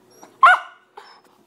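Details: A pet dog reacting fearfully to cranberry juice gives one short, sharp bark followed by a fainter second yelp about half a second later, indoors with a person's voice just before.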